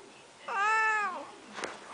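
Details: Indoor pet cat described as talking lets out a loud, clear meow lasting under a second, level then gently falling, strongly harmonic; a brief click follows, and the owner speaks around it.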